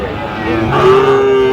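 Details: Sahiwal bull calves at the Aftabganj cattle market, 16 August 2025. A short, even-pitched moo begins halfway through, against a background of market voices.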